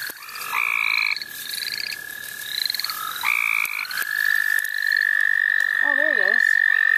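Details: Frogs calling in the St. Olaf College Natural Lands during a frog-catching outing: long, steady high trills overlap, with shorter pulsed notes repeating above them. A brief human voice is heard near the end.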